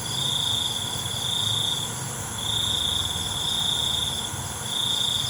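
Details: Crickets at night producing a high, continuous-sounding trill in long phrases with brief breaks, set against a steady shimmering background of other high-pitched insects.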